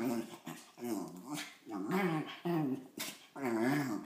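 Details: Cairn Terrier mix dog in the SF Bay Area giving a run of short, throaty growl-moans, each about half a second, wavering up and down in pitch with brief pauses between, plus a few soft clicks.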